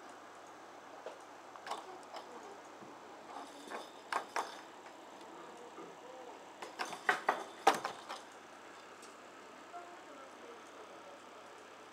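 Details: A quiet room with scattered clicks, taps and brief rattling knocks, with no animal voices.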